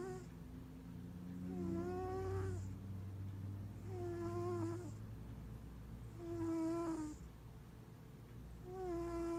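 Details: A giant mixed-breed Maine Coon tuxedo cat snores in slow, even breaths, each ending in a thin nasal whistle.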